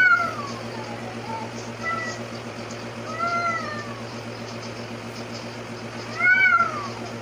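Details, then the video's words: Arabian cat during a cat fight; drawn-out, arching yowls rise and fall in pitch, repeated about every one to two seconds, with a steady low hum underneath. "ARABIAN CAT FIGHTING RIDICULOUS CAT FIGHT"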